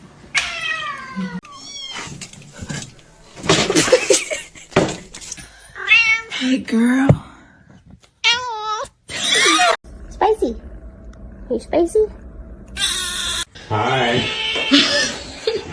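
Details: Pet cat uttering a string of short meows, each rising then falling, spaced a second or two apart, with human voices talking in between.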